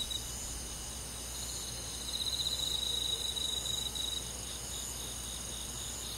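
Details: Many crickets call through a summer night in the country, a continuous thin, high trill that grows louder and more pulsed from the second to the fourth second, then settles back into the even background chorus.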